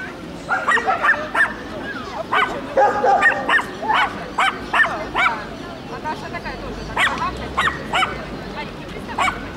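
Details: Shelties and papillons communicating: bursts of shrill yapping barks in irregular clusters throughout, with brief pauses between runs, some calls slightly whiny and drawn out.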